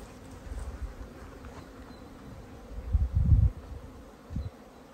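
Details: Honey bees foraging among spring wildflowers, poppies and daisies, on a walk in Datça, Turkey; a faint, steady low hum runs throughout, broken by gusty wind or handling rumbles near the middle and again toward the end.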